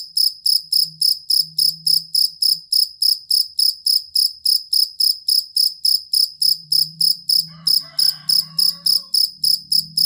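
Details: Jangkrik kalung or fighting cricket kept as a song tutor for songbirds: even train of shrill pulsed chirps, roughly three to four each second, with a short faint harmonic call near the end and soft low hum.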